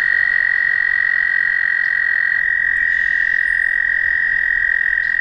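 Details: American toad giving a steady, high musical trill that holds one even pitch through the whole stretch without a break, a faint upper overtone running alongside it.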